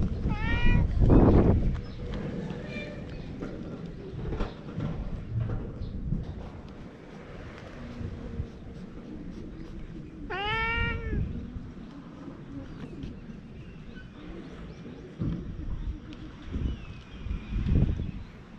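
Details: Stray cat on a cat island, filmed with a GoPro HERO8: two loud, drawn-out meows about nine seconds apart, each rising then falling, over steady outdoor wind rumble and some low background noise.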